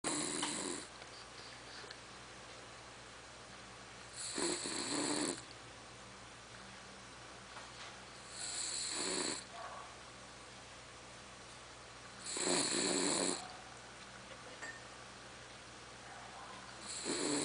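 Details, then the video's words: Charlotte, a female pet dog, snores loudly enough to be compared to a tractor: rough, broadband rasping bursts about a second long, recurring every four seconds or so, with quiet pauses between them. "Cachorra roncando."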